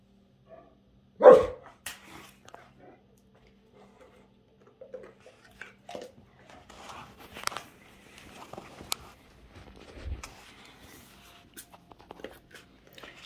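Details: A Great Dane, showing off and "talking" to his bone, gives one loud, deep, abrupt bark, followed by quieter grumbles as a person asks what he is trying to tell it.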